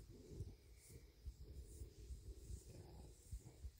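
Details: Male bobcat purring contentedly after a meal of deer meat and a belly rub, a steady low rumble pulsing in quick waves, with faint rustling nearby.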